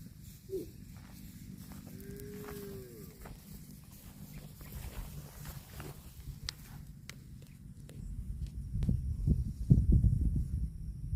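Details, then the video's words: Cattle eating grass: a brief low, drawn-out moo with a short, bending tone, preceded by a quick grunt-like note, against constant low rumble, crunching and footstep-like noises that grow louder toward the end. "CUTE AND FUNNY COW SOUND EATING GRASS COMPILATION - COW MOOING"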